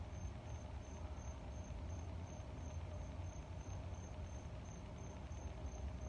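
A cricket repeats short, high-pitched chirps several times a second in an even rhythm, with faint ticking pulses above them. A heavy low rumble, like moving air or far-off traffic, runs beneath throughout.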